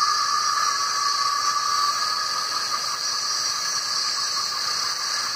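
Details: Cicadas swarming the trees during their warm, rainy spring-summer mating season, males singing to attract females: a dense, continuous shrill hiss with steady bright bands, unbroken and even in loudness throughout.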